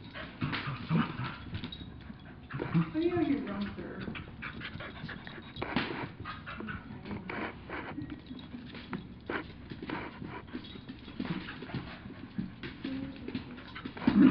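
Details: Two dogs, a two-year-old mini Aussie and a one-year-old chihuahua, play fighting indoors; low scuffling growls and snorts with panting and thumps, brief higher whine near three seconds, irregular throughout.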